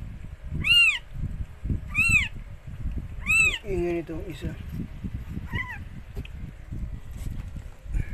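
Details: Rescued stray cat Mikey delivering four kittens: three loud, bowed, harmonic mews in quick succession, then a lower murmuring voice and one softer mew near the end.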